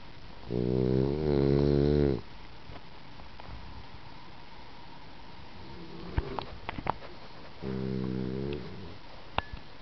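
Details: Sleeping female French Bulldog snoring indoors: two long, rough, droning snores, the first about one and a half seconds, the second about one second, separated by a quiet stretch with a few faint clicks.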